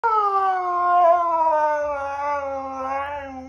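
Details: Husky lying upside down and 'talking': one long, drawn-out vocal howl, rich in harmonics, slowly sliding downward in pitch with a slight waver and a brief rise near the end, over faint low background rumble.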